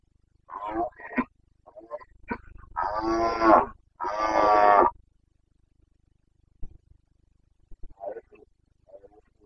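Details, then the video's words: Rutting Carpathian stag in the Bucovina mountains during the September 2022 breeding season: short grunts lead into two long, loud, raspy bellowing roars back to back, then scattered soft grunts and near silence. "Boncănit / Carpathian stag Breeding season"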